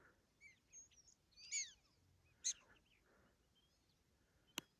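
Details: Prairie dogs give short, high chirping barks, some sliding downward, scattered irregularly, on the Big Plateau Trail in the South Unit of Theodore Roosevelt National Park.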